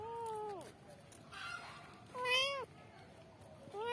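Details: Kittens calling out for their mother, three meows: a level call falling away at its end, a louder arched meow, then another beginning, with faint background sounds between.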